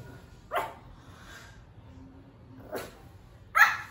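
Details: Young Pomeranian that has just begun to bark, producing three sharp, high yaps spaced irregularly, the last one the loudest, against a faint low hum.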